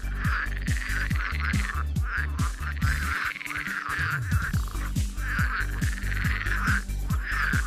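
Frogs croak in a chorus of low, rapid, repeated pulses, with a higher wavering tone above.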